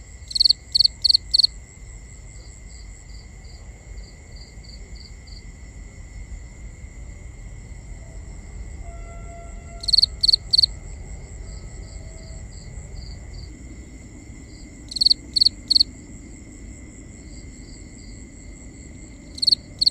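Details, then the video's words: Crickets at night in a binaural recording: loud bursts of four quick high chirps at the start and around 10, 15 and 19.5 seconds, with softer chirping in between over a steady high insect drone and low rumble. "Cricket Conversations | Binaural Nighttime Ambience"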